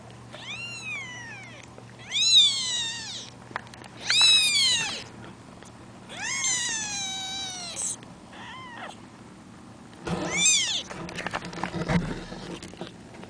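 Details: Two week-old kittens kept in a box after their mother left them, giving high, wavering mews, falling or arched in pitch, about every two seconds, with some handling rustle near the end.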